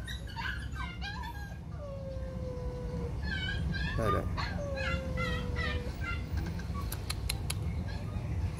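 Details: Female brindle Phu Quoc Ridgeback puppy, code V03, at a Phu Quoc dog kennel in Saigon during leash training, gives drawn-out steady whines alongside short yelping notes, with a person talking over it.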